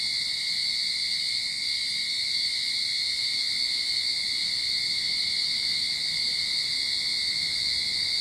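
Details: Continuous cicada chorus from a backyard in Sydney, recorded as summer begins; an even, shimmering drone with a piercing high hiss and a constant lower whine, unchanging from start to finish.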